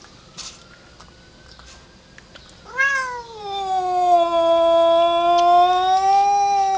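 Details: Domestic cat that hates an outside cat, yowling at it: near silence, then a loud, long, drawn-out wail that rises briefly, dips, and holds a steady, rich, harmonic tone for about four seconds.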